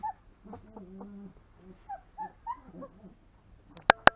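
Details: Longhaired German Shepherd puppy aged three weeks, born 26 September 2020, giving soft, low whimpers and short wavering whines, one drawn-out steady moan, ending with two sharp loud knocks.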